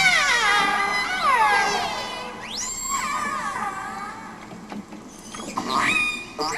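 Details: Five transient killer whales of one pod, recorded in the waters off Vancouver Island, give harmonic, sweeping calls that rise and fall in their pod's own dialect, often voiced just after making a kill.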